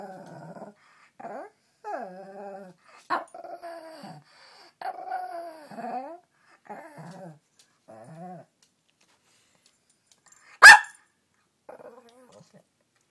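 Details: A pet dog at home in the morning, talking and barking at family members until they wake up; a series of whiny, moaning yowls with rising and falling pitch, separated by short pauses, one sharp click near the end.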